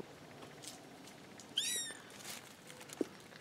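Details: A single short, high, falling mew from a kitten in a newly found litter of four, followed by a faint click amid soft background hiss.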